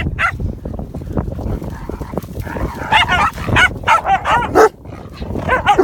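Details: Rasta, a Komondor, barks to initiate play while waiting for the Group to be called at a Championship dog show; short harmonic yelps and barks in quick bursts, rising in the second half, over a murmuring indoor background.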